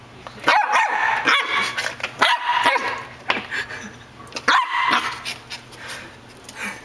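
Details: A dog named Butch battles a doorstop indoors, letting out sharp, harmonic barks in short bursts of two or three, with gaps of about a second between bursts and faint clicks and clatter behind.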